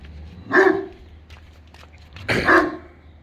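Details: English Mastiff crossed with German Shepherd, barking at a blow-up pool toy; two separate deep, gruff barks about two seconds apart over faint background noise.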